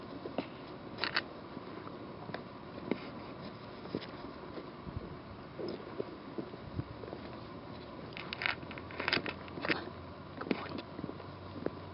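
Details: Indoor crackles, crunching and soft clicks over low background hiss, with no animal call heard.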